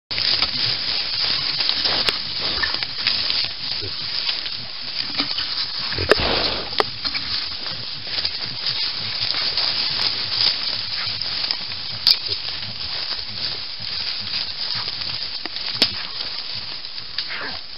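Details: White-lipped peccaries give rough, noisy grunts and snorts, broken by sharp clacking sounds, at a private reserve in Santo Antônio do Pinhal, São Paulo, Brazil, on 26 July 2017.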